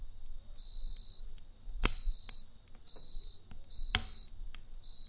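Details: Crickets trilling at night in short high bursts under a busy campfire, whose deep rumble and two loud cracking pops of burning wood stand out against the chirps.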